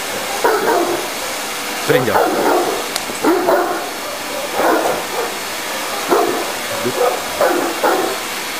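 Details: Tosa inu Kimu, an 11-month-old 60 kg dog, barking while playing with a vacuum cleaner: short, rough barks in bursts of one to three, roughly every second, over steady vacuum hiss with a man's voice in between.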